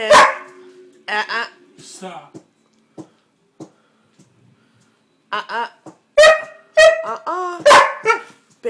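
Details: Indoor Siberian Husky protesting at being kept off the bed, giving grumbling, harmonically rich howl-like yelps in two clusters separated by a quiet stretch with soft clicks. A person's speech may be mixed in.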